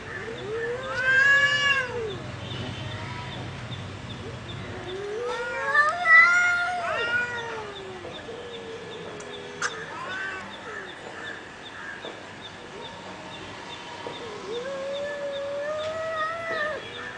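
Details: Cats fighting: drawn-out, wavering yowls rising and falling, with a harsh burst near two seconds and another around six seconds, then quieter moaning howls over low background rumble.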